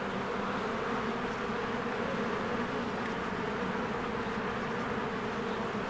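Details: Honeybees crowding a hive on a spring day, a steady wall of buzzing wingbeats without pause, uniform in loudness from start to finish.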